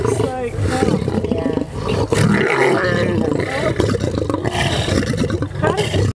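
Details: Lions at nightly feeding in the Lion Park near Johannesburg, September 2013, quarrel over cow legs, heard from a truck. Dense, rasping snarls and deep roars run without pause, with people talking alongside.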